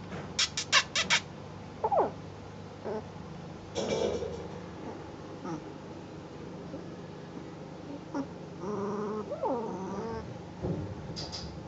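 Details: Ten-day-old Northern Inuit Dog puppies at Honiahaka learning their wobbly walk: a few short clicks and bumps, then harmonic, wavering whines with a bending, dipping whimper near the end over a steady low hum.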